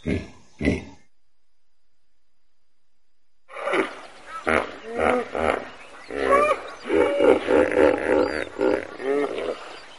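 A hippopotamus gives a rapid run of deep, pulsing honks and grunts that build into a loud chorus.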